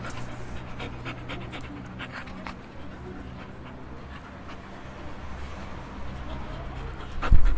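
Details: A dog's breathing, heard as faint airy puffs repeated about twice a second over a constant low droning hum, ending in a louder rustling knock.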